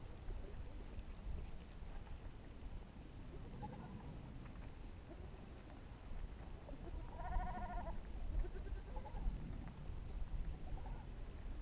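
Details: Goats resting with sheep in a village, curious about the camera; one loud harmonic bleat midway, with a few fainter, shorter bleats scattered around it over a steady low rumble.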